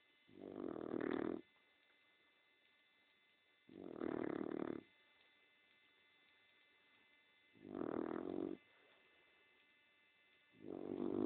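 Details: Napping female dog snores in slow, even cycles, four rough, buzzy breaths about a second long arriving every three to four seconds, with a constant faint hum between them.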